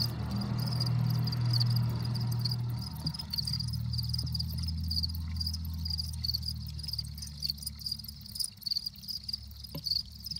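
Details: Crickets chirp with their wings, a steady, high, pulsing trill over a low, droning hum, which is taken as a sign the crickets are happy.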